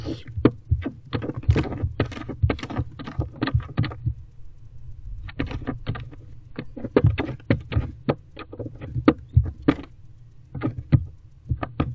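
Sharp knocks, scrapes and rustling thumps over a steady low rumble, with no calls or song.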